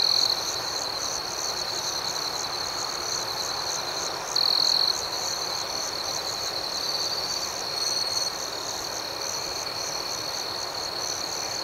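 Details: Crickets chirping through the night in a constant high, whining trill over fast rhythmic pulses. Brief louder buzzes occur at the start, around the middle, and again later.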